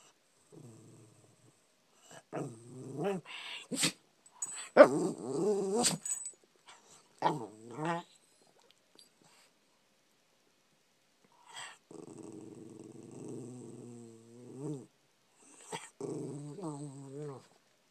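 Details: Indoor puppy grumbling for food: scattered short growly moans and sharp yelps early on, a long quiet pause, then two more sustained, wavering low whines that rise and dip in pitch.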